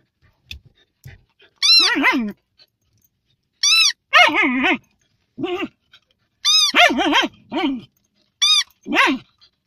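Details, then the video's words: Fox terrier moaning in a small room: about six wavering, harmonic groans of a half-second to a second each, some rising then falling, coming in uneven bursts every one to two seconds with short silences between. "Moaning doggie, fox terrier"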